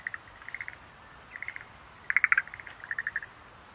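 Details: Schlegel's green tree frog, Rhacophorus schlegelii, giving short bursts of rapid clicking pulses, a louder rattling run near the end, with faint high chirps in the background.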